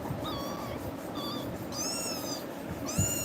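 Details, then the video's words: Frightened kitten crying after being scared by another cat called tiger, clinging to a person for safety; several high, thin arching meows in a row over soft room noise. "குட்டி பூனை🐈🐾❤️பயந்து கத்துது"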